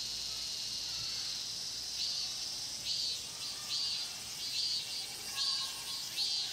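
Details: Cicadas singing in the Mokgye pine grove at Cheongsong: a steady, high shimmering drone overlaid by rhythmic swelling pulses roughly every 0.8 seconds, forming a dense chorus with no other clear sounds.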